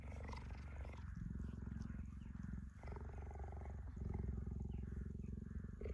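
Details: Tame cheetah purring while being cuddled by a woman: a steady, deep, rumbling purr with rapid even pulses that continues almost without break, with only brief pauses between breaths and a little soft human speech.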